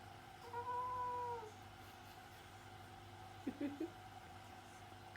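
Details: Orange tabby house cat meowing with its mouth closed, indoors: one long, steady, hummed tone of about a second, then a few short, quiet, muffled chirps; constant low hum behind.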